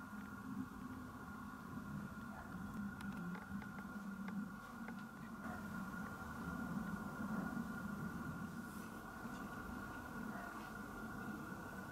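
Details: Steady indoor hum with a constant tone and faint clicks and taps, with no animal voice heard.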